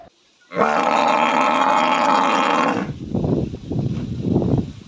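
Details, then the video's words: Buffalo in a village letting out one long harsh bellow of over two seconds, followed by lower rough grunting breaths. "buffalo \ cow sound"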